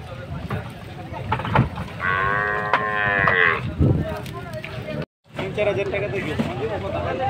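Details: Big cow unloaded for Qurbani Eid in Bangladesh lows once in a long, steady harmonic moo lasting about a second and a half, followed by knocks, a brief gap and busy crowd and handling noise.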